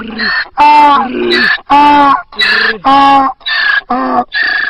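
A donkey brays in a loud, rhythmic hee-haw, alternating rasping high and low notes.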